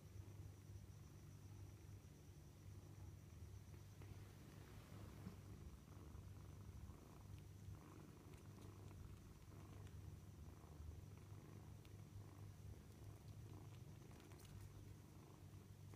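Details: Kittens at dinner time, purring in a steady low rumble that runs through the whole stretch, with scattered faint clicks and a thin constant high whine in the background.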